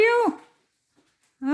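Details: Domestic kitten, one of several playing indoors after eating, gives a single bright harmonic meow, held level then sliding down at the end; a short silence follows before another lower tonal voice starts.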